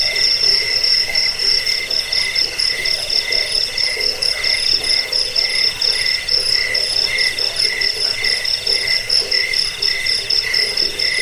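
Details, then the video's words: Crickets chirping for chasing off rats, bedtime listening and bird tutoring; piercing high trills pulse continuously alongside a softer lower buzzing band, a steady insect chorus with no other sounds. "Suara jangkik pengusir tikus pengantar tidur"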